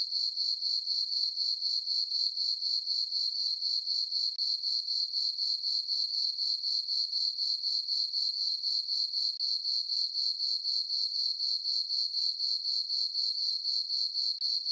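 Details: Full-moon summer night on a farm meadow filled with cricket chirping: an unbroken high-pitched trill beating rapidly and evenly, around four pulses per second, holding steady from start to finish.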